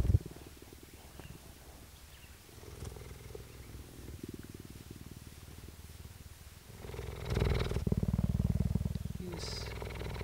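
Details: Female cheetah purring at a cheetah centre in Parys, South Africa, recorded 5 May 2019; continuous low rhythmic rumble of quick pulses, swelling loudly in the latter part, with a few handling noises and a short bump at the start.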